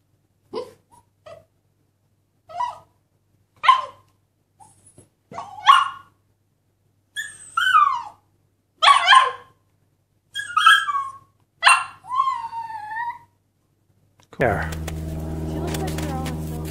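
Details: Siberian Husky puppies: about nine short, clear calls over fourteen seconds, each a high whining yelp that rises and then slides down, some drawn out like small howls, with quiet gaps between them, ending in a burst of steady low hum and noise.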